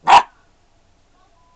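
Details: A 13-week-old mixed-breed puppy (Australian Shepherd/Chow crossed with Mini English Cream Dachshund) is urged to speak and lets out a single short, bright yap, followed by near silence.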